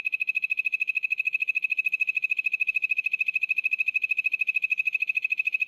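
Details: A poison dart frog keeps up one unbroken, high, buzzy trill of very regular rapid pulses, about three per second, with soft clicks in the background.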